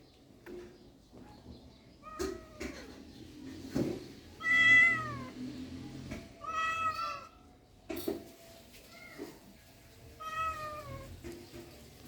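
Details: Rural cats meowing: short upward chirps followed by louder bending meows that rise and fall, several in sequence, interspersed with clicks and knocks.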